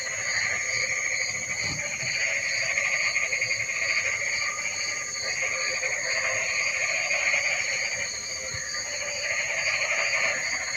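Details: Frogs calling in the rain: a dense, unbroken chorus of rasping croaks swelling and fading, over a steady shrill high drone with a faint pulsing band above it.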